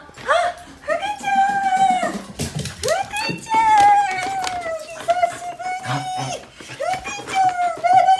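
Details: Shiba Inu named Fuku greeting its owner coming home, long drawn-out whining cries held on a steady mid pitch, several in a row with short breaks, while the owner talks over them.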